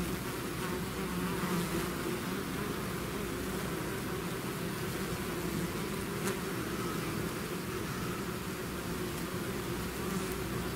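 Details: A bee swarm out of its hive fills the air with an unbroken, even drone of countless wings, a faint sharp click sounding once partway through.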